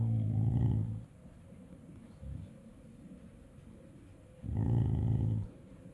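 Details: A corgi makes low, drawn-out grumbling "talking" vocalizations, two groaning sounds about four seconds apart.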